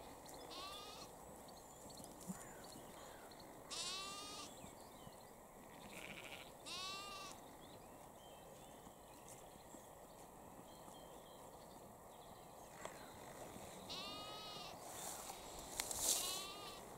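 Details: Sheep and lambs grazing in Cambridgeshire, UK, evening of 20 April 2021, lambs reaching through a fence for grass. Repeated quavering bleats arrive every few seconds, some overlapping, over a constant rustling outdoor background.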